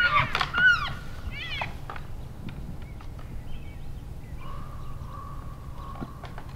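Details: {'caption': "Elk bulls at play-sparring in January in Canada's Rockies open with quick arched squeals and clacks, then a fainter steady whistled tone holds in the background."}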